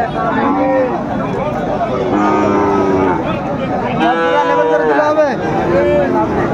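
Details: Sahiwal bull calves at a cattle market, with a Dhaka farmer buying on 20 February 2025, repeat four or five tonal moos, some rising then bending down, while people talk and bargain nearby.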